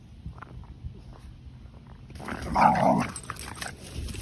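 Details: A Keeshond named Kumo and a Boston Terrier named Sully play in a big yard. After a quiet start, a short, harsh growling burst with a rough, throaty tone erupts midway and lasts under a second.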